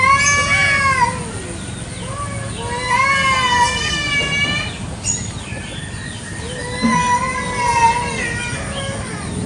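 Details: Kampung cats fight over territory in a garden in the morning, trading long, bending yowls that rise and fall, each lasting a second or more, with shorter moaning notes between loud bursts.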